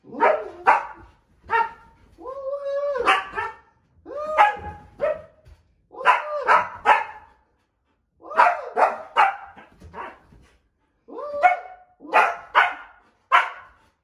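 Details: A nearly 2-year-old female Siberian Husky, worried by her owner hiding under bed covers, growls and gives a run of short, tonal barks and yips with a drawn-out, arching woo.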